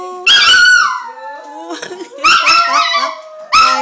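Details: Female Chihuahua singing along with her owner, giving high, wavering howled notes in loud bursts, with a gap and a second burst near the end; a human voice is mixed in.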